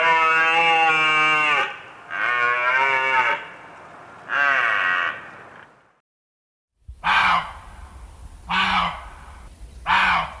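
A deer gives three drawn-out, quavering bleats, then after a pause three shorter, harsher calls about a second and a half apart.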